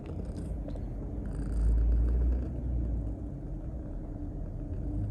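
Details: Toki, a two-year-old grey-and-white female Maine Coon with a heart condition, one of five cats in a veterinarian's household, awkwardly kneads while being affectionate; a low, steady rumbling purr swells louder near the middle, with faint light rustles above.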